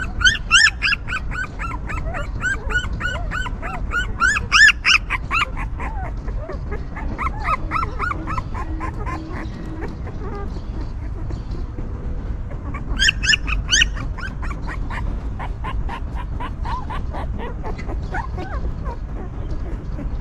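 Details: Stray mother dog's newborn puppies cry in bursts: dense volleys of high, arched squeals at the start and again midway, quieter scattered whimpers between, over a constant low hum.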